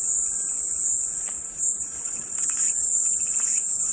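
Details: Cicadas in a continuous, high-pitched shrill drone that barely wavers for four seconds, with faint scattered chirps and clicks beneath it.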